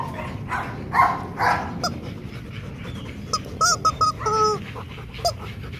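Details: Loki, a male Rottweiler nearly two and a half years old at Gervi Kennel, playing: two short broadband barks, then a run of high, tonal whines in quick clipped bursts over a noisy background.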